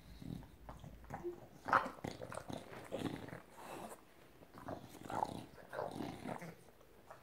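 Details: An English Bulldog goes wild with excitement indoors, greeting its female owner on her return and nuzzling around her head. It makes snorting grunts and rough growly huffs in irregular bursts, with rustling and handling noise.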